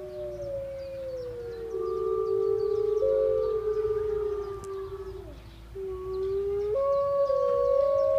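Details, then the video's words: Several gray wolves at Artis zoo in Amsterdam, 18 March 2014, howl together in long, smooth, overlapping notes that slide gently up and down. "Howling wolves"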